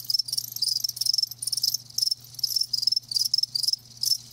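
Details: A chorus of live crickets gives bright, rapid pulsed chirps in short groups separated by brief pauses, high and metallic, with a quiet low hum beneath.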